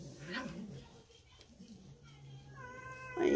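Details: Domestic cat caterwauling indoors to demand treats, its drawn-out harmonic wail swelling near the end over a woman's speech and low room rumble.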